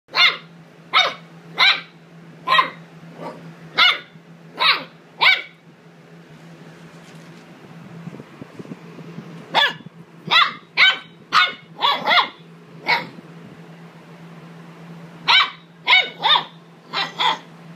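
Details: Luna, a female Great Dane puppy, barks in short sharp bursts: a run of seven evenly spaced yaps, a pause with faint growly noise, then two more clustered volleys of barks over a steady low hum.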